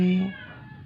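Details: Rescued stray indoor cat that had not eaten for 12 days, dying at home after a vet visit; one short, low, harmonic-rich meow that breaks off after about a third of a second and fades into quiet room noise.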